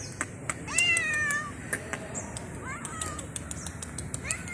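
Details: Stray street cat meowing at a person: a few drawn-out, bending meows with rich harmonics, plus sharp clicking taps scattered through a quiet urban background.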